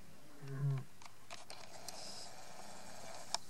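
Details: Lioness calling softly: one short, low, moaning grunt with stacked harmonics lasting about half a second, followed by faint clicks and quiet background hiss.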